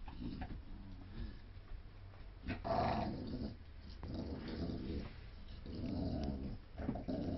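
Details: Low, rumbling dog growls during a game of tug of war among a Staffordshire Terrier, a German shepherd and a poodle mix, steady throaty rattling that swells and fades, with brief scuffling sounds between the pulses.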